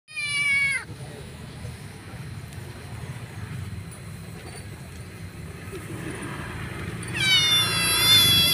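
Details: Starving stray female kitten, noisy while eating her food: a loud, high, harmonic meow falling in pitch opens, then quieter eating noises and low background rumble, ending with a second drawn-out, wavering meow.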